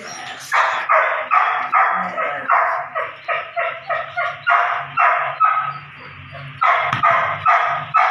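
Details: Belgian Malinois puppy Evita, nine weeks old, worked on ball and prey drive, lets out a near-continuous run of shrill, yappy barks about every third of a second, pausing briefly before a final burst.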